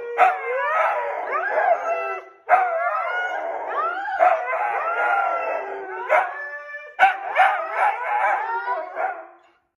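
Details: Dramatic Siberian Husky vocalizing in a run of yodelling, whining howls, each phrase bending upward then falling, broken into five stretches by short gaps, ending in quick choppy yelps.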